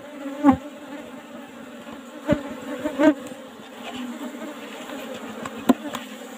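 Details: Apis cerana colony disturbed while honey is taken from its old-fashioned hive box, giving an even, humming drone with a few loud taps and bumps scattered through it.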